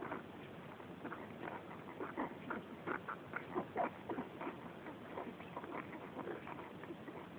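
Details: Five 11-day-old Cairn Terrier puppies give a steady stream of thin, squeaky whimpers and short mews.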